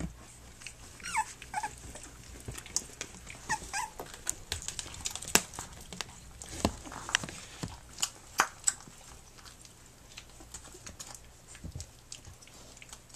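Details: Puppies from Flute's litter, three weeks old, nursing and playing. Brief falling whines come early and again partway through, amid steady clicking, smacking and rustling of the nursing pups.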